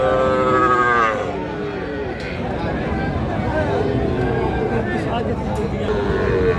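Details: Cattle, small bulls and heifer calves, at Raniganj cattle market on 17 November 2025: a drawn-out, harmonic moo fills the opening second, then a steady din of crowd chatter and voices runs to the end.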